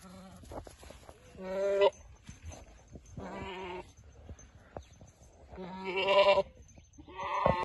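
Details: Boer goat ram at a livestock sale giving repeated harmonic bleats, each about half a second long, spaced one to two seconds apart, over a low rumbling background with scattered clatter.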